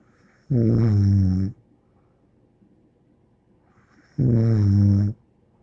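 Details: Dog named Bear snoring while asleep indoors, two long droning snores of about a second each, low and resonant with stacked harmonics, separated by a pause of roughly two and a half seconds.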